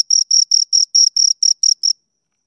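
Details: Nine quick, high, ringing cricket chirps come in an even series lasting about two seconds and then stop, leaving silence. Two crickets are named, with no other sounds present.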